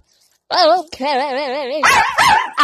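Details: Angry dog giving a wavering, warbling growl-howl that breaks into harsher, louder barking snarls.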